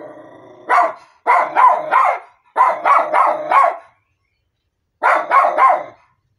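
A Miniature Schnauzer barks in quick bursts of two or three sharp, mid-pitched yaps.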